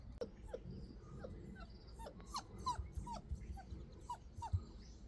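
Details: Labrador Retriever puppy, a stray rescued from a drain and adopted four months earlier, giving soft high whimpers that slide downward, about nine spread over five seconds, with a low background rumble.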